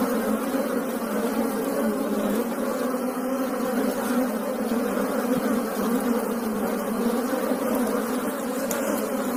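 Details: Asian honey bees (Apis cerana indica) give a steady, dense hum of many wings buzzing together.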